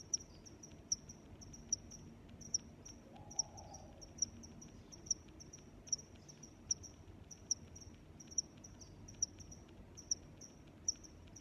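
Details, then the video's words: Crickets chirping, crisp high-pitched pulses roughly once per second layered with softer neighbouring chirps, one short faint lower sound early on, and a gentle constant background hum. "Sounds of Crickets"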